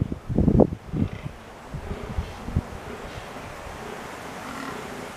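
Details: Fallow deer bucks fighting during the rut, which peaks in the second half of October; afterward the bucks return to chasing does. Several loud, deep, rough grunting bursts fill the first second, followed by quieter low pulses over steady wind-like background noise.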